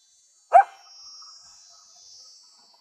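A coyote lets out one abrupt, rough bark, fairly low and punchy, followed by a brief fading echo. A thin, steady high-pitched hiss, perhaps insects, runs behind it throughout.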